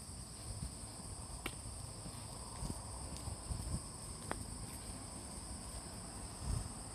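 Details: Morning in Fujimori Park, Hachioji, 6 September 2020: after early rain eased to drizzle, autumn insects keep up an even, high-pitched continuous trill. Occasional faint clicks and ticks and a steady low background rumble are also heard.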